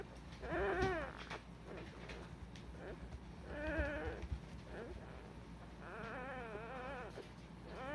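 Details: Nabe's litter of Cardigan Welsh Corgi pups, recorded 21 February 2020: a few scattered, quavering whines, one longer wobbling cry near the end, over a low indoor hum.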